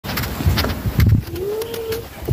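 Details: Nancy, a grumpy mother cat easily annoyed with her kittens, gives a short, thin, slightly rising meow that levels off, over low rumbling background noise and soft thumps.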